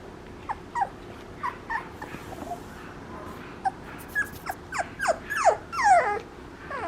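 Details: Papillon puppy whimpering: a run of high, falling whines and yelps that grow louder and more frequent toward the end, over a low steady background hum.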